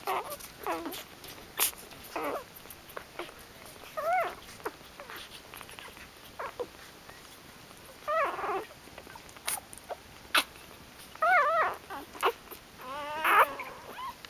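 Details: Newborn puppies just born to Kitty, a litter of ten boys and three girls of mixed colours, making repeated short wavering squeals and whimpers every few seconds, with sharp clicks and rustling between them.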